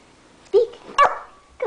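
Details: Pet dog performing a trick, barking on the spoken command to speak indoors: three short sharp barks spaced about half a second apart, the middle one strongest, with quiet room background.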